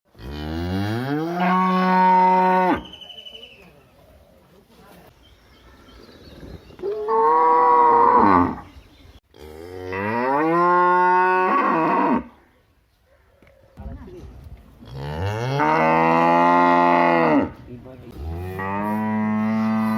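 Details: A village cow gives repeated long, deep moos with rich harmonics, some rising then falling in pitch.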